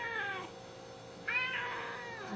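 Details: Hungry pet Siamese cat meowing indoors, one of two kept together, a seal point male and blue-lilac point female: a fading falling meow, then a higher drawn-out meow sliding down; faint music in the background.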